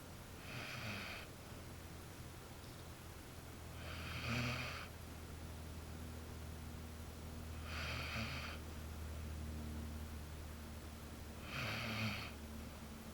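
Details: Jersey, a female Basset Hound, snores in slow, raspy bursts, one breath roughly every four seconds.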